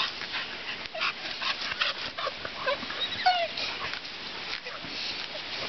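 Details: Pit bull dog under attack training lets out a few sharp, high yips and one drawn-out descending whimper near the middle, amid hissing noise and faint speech.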